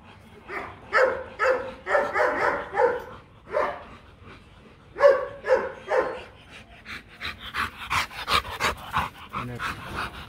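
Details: Rottweiler pair Marvin Gervi and Kacyno Gervi mating in Hanoi, Vietnam; clusters of tonal whines and yips in short bursts, then rapid breathy huffs in the final seconds.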